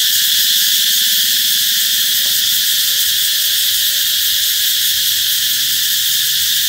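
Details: Cicadas calling as a sign that summer is near, an intense unbroken buzzing hiss holding steady, with faint low rhythmic pulsing early on and a short faint whistle-like tone.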